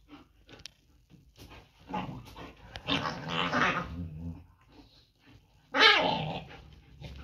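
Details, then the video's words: German Shepherd dogs fighting during mating and breeding: rough, noisy growling and snarling bursts rising to a loud harsh snap near the end, with a brief human voice nearby. "german shepherd fighting during mating and breeding"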